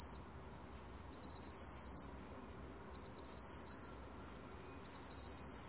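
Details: A black field cricket sings clear, high chirping trills in bursts about every two seconds.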